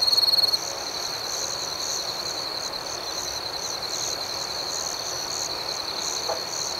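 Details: Crickets chirping at night in a steady, high-pitched chorus of rapid, pulsing trills, with one louder, sharper caller standing out briefly at the start over a continuous shimmering background.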